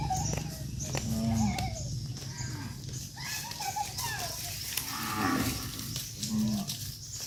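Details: Tame cattle being herded back to their farm pen; two low, short moos near the start and end, set against steady rumbling background noise.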